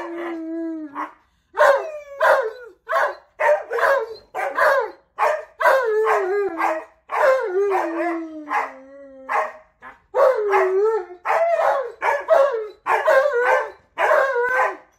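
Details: Tonka, an Alaskan Malamute, chattering on a roll: a long series of short, rising-and-falling harmonic yowls and woos, some drawn out and sliding down, coming every half second or so with brief pauses between them.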